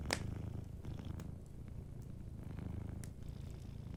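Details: Sleeping domestic cat purring softly beside a warm fireplace: a steady low rumbling pulse rising and falling in breaths, with a sharp crackle at the start and scattered pops of burning wood.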